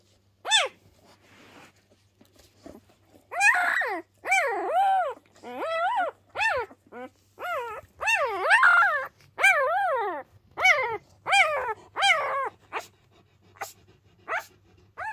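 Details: Loud complaining cries from three newborn Pyrenean Mountain Dog pups, not yet a week old, born to Ivy at the Ehrenberger Hof; after a quiet start, a rapid series of arching whines and yelps, many short and repeated about every half second.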